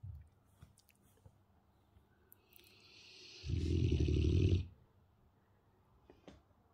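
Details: Sleeping Dogue de Bordeaux called Marshall snores in a small room; a slow wheezy inhale builds into a deep, rattling, loud snort-snore of about one second, with quiet snuffles before and after.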